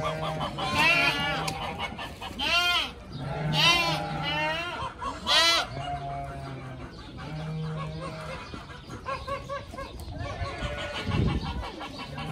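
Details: Group of playful pygmy goat kids running, jumping, headbutting and chasing each other; several loud, wavering, harmonic bleats in the first six seconds, then quieter bleating over a steady low hum and other farmyard noise.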